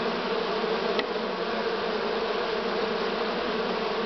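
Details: Honey bees of a swarm from this year, filmed 6 September 2019 in Romania near season's end; a constant layered buzz with one brief sharp click near the first second.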